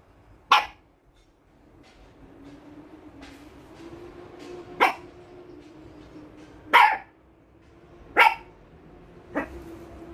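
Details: Toy Poodle in Singapore barking: five single sharp, loud barks spaced one to four seconds apart, with a faint steady low hum running underneath.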